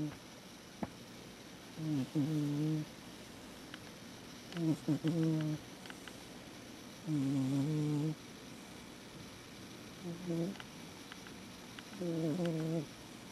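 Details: Fukusuke, a cat, snoring while asleep: low, buzzy, harmonic snores come roughly every two and a half seconds, five long breaths in all, each droning steadily for about a second, with faint clicks between them.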